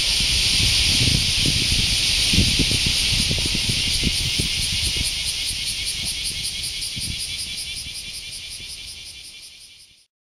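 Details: In Japan in August 2019, a cicada's intense droning buzz with a rapid regular throb, gradually fading over ten seconds before cutting off abruptly into silence.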